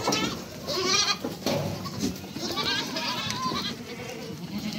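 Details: Young goat kids bleat as they are reunited, with several quavering, nasal cries overlapping one another.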